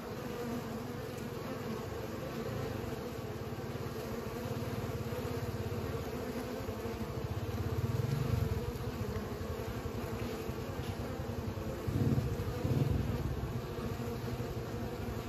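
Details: Bees at work pollinating: a dense droning hum, thickening and growing louder in places with a deeper low rumble underneath, possibly wind or a distant vehicle.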